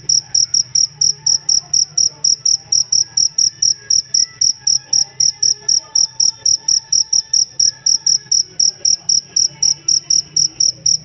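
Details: Jangkrik chirping as tutor for songbirds: a long unbroken series of crisp high pulses, about four per second, loud and regular, with only a low faint background murmur.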